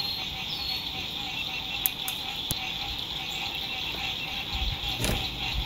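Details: Frogs singing at sunset beside a lake during spring 2021 lakeside RV camping in fine weather: a dense, steady high-pitched trilling chorus, a few short descending chirps and clicks, and a low rumble of road noise underneath.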